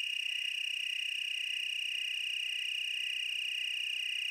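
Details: Chorusing tree crickets, Willamette Valley, Oregon, produce a dense, constant high trill with a fine rapid pulse, unchanging in pitch over four seconds.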